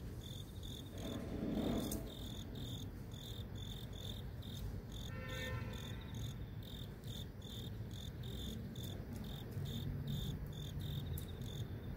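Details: Grass insects singing amid city streets, their shrill chirps pulsing in a rapid, fairly even train throughout, while passing traffic swells in the background and a brief tonal mechanical sound appears midway.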